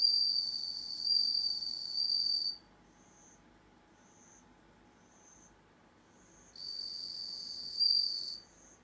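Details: Indoor-raised bell crickets in the dark: a long bright ringing trill, then a pause with soft short chirps about once a second, then the sustained ringing returns.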